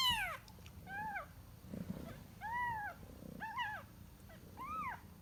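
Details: Kitten seeking its mother, heard as soft, thin meows that rise and fall, around five spaced about a second apart, against steady low background hiss and rumble.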